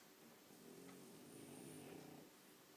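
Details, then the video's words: French Bulldogs asleep indoors giving one drawn-out, steady, rumbling raspy snore lasting over two seconds, low and continuous with a slight rise in loudness midway. "French Bulldogs Snoring Loudly!"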